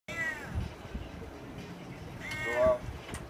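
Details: Domestic cat with a deep voice giving two low, harmonic meow-like calls, one at the start and a louder drawn-out one near the end, over quiet background noise.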